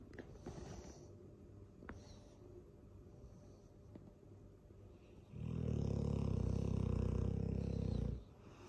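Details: Loud snoring from a sleeping Dogue de Bordeaux: several quiet seconds with faint clicks, then one long, deep, vibrating inhale rattling steadily for nearly three seconds before cutting off.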